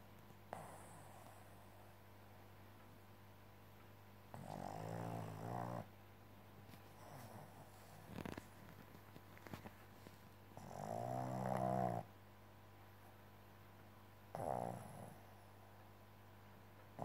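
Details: Tired Boston Terrier indoors snoring: rasping, harmonic-rich snores in bursts of about one to one and a half seconds, at roughly five, eleven and fourteen seconds, with a steady low hum between.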